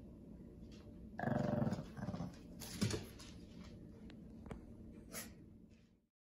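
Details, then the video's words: Pekingese named Winston, or Winnie, kept indoors at home, growls angrily when his toy mouse is picked up during play. A short, low, rumbling growl bursts out after a quiet start, followed by softer rumbles, clicks and rustling in a small room. "Pekingese Gets Angry!!"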